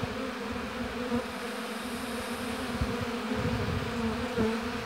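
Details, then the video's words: Steady hum of honey bees around a hive in an apiary, a thick continuous buzz with a few brief brighter tones from passing bees rising above the drone. "Busy Bees Buzzing Sound"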